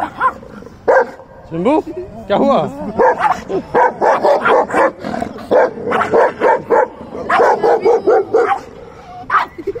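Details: Young puppy tussling playfully with an older dog: sliding whiny yelps, sharp barks and rough growls tumble out in quick uneven bursts while people laugh and music plays.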